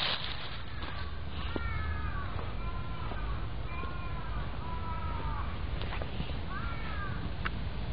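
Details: Cat met again after a long time, giving a series of short harmonic meows that arch and fall, about six calls spread over eight seconds, over steady low rumbling background noise.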